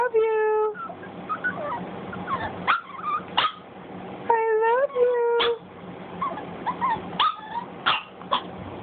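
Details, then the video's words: Boston Terrier puppy Cj 'talking' to its owner indoors: drawn-out whining tones, some sliding upward, broken into short yips and whimpers, with a woman's affectionate speech between the calls. "Cj talking to mamma"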